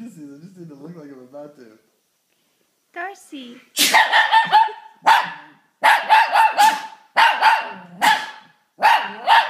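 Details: Pet Shih Tzu reacting to a sneeze with barks and howls; a person speaks briefly first, then the dog gives repeated bright barks in quick clusters, each group rising and falling, with brief pauses between them.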